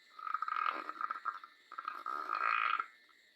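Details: Sleeping dog snoring: two long rasping, buzzy breaths with a steady nasal tone, the first fluttering in short pulses, a brief pause between them, then quiet.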